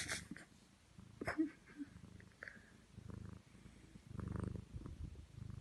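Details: Domestic cat fast asleep on a bed, snoring: soft, low rumbling breaths in irregular pulses, with a few brief rustles and clicks around them.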